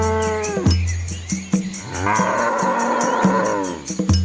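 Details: Village cows eating and hungry: a deep, drawn-out moo that slides downward and ends, then a second, rougher moo with rich overtones. Steady low humming and sharp knocking sounds continue in the background.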